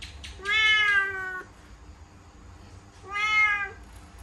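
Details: Cat caught inside a laundry basket at home, two long level meows about two seconds apart, clear and strongly harmonic, the first lasting about a second, over faint low background hum.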